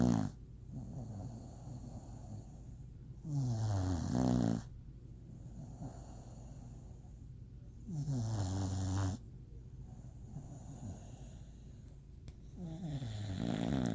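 Deep, rattling snores from an English Bulldog come in long rasping bursts, spaced roughly four to five seconds apart. Softer, wheezy breathing fills the gaps between the louder snores.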